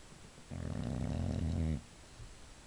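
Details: Female Boxer dog asleep indoors, snoring: one long, low rattling inhale of about a second and a quarter, harmonic and steady, ending abruptly, with a quiet room around it.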